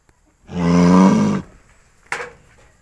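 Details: Cow in a cowshed, eating grass, utters a hoarse, full moo of about a second, then near quiet broken by one sharp knock.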